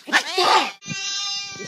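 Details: Pet cat indoors giving a loud, harsh meow, falling in pitch, followed by a long steady high-pitched drawn-out tone.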